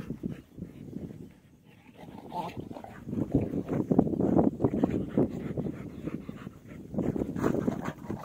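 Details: Pet dogs fighting, a village dog fight: rough low growling and snarling in irregular bursts, rising to a loud tangle of overlapping snarls midway, with scuffling between outbursts.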